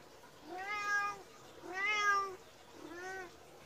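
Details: Three insistent meows, each arching up then down, about a second apart, from a medium-sized Persian cat demanding food just after a meal, its behaviour looking nearly angry.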